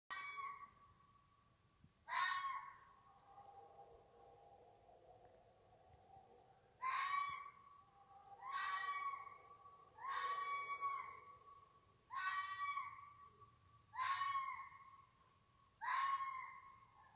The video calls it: Jackal sound